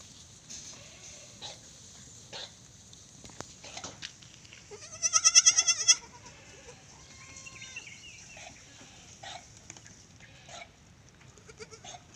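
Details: Young goats in a simple open pen, from Indonesia, giving a loud wavering bleat with rich harmonics at about five seconds, amid fainter scattered bleats and background noise.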